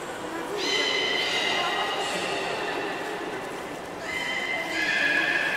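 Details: Belugas Nana and Hodoi being moved between pools at Port of Nagoya Public Aquarium, 11 August 2018, swap unsuccessful; two bursts of rich harmonic, horse-like squealing calls, each held about a second or more, over a hissing background.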